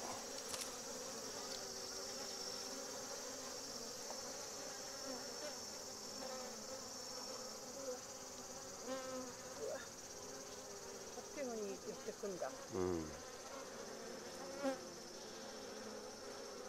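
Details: Japanese honey bees mobbing a Japanese hornet near a trap, balling around it to cook it: a steady low droning buzz with a thin high whine above, brief swooping chirps near the end, and quiet people's voices.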